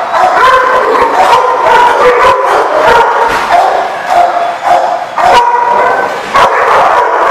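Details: Dogs at The Barking Lot on 7/3/15, a crowded din of overlapping barks, yips and wavering howls with no pause, one sharp louder bark standing out near the middle.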